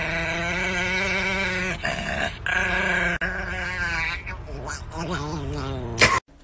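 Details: Angry, aggressive Chihuahua growling: a sustained, wavering, harmonic rumble held for several seconds with a few short breaks, rising in texture near the end and cut off by a sharp burst of noise.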